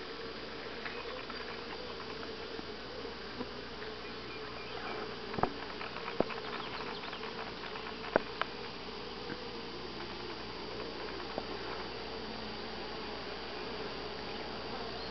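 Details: Grass Lake Sanctuary honey bees in week 6, July 25 2011, give a long continuous droning buzz with a low hum band, dotted with scattered sharp ticks around the middle of the stretch.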